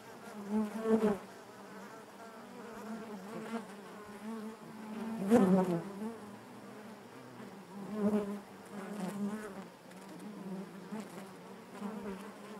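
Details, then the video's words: Honey bees droning inside the hive, a constant low buzz with rich overtones; a few individuals swell loudly past, the strongest around five seconds, their whine sliding in pitch. "bees therapy hive natural buzzing sound"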